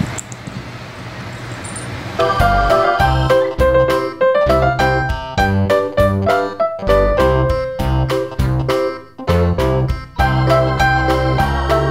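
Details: Quiet room tone gives way after two seconds to lively keyboard music with rhythmic piano chords, and no animal sounds can be made out.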